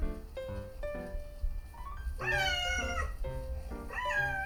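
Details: Two female pet cats, a Scottish Fold and a Munchkin, hear their own meows played back while gathered. Two bright, arching meows follow each other, the first longer and the second shorter and rising, over soft background music.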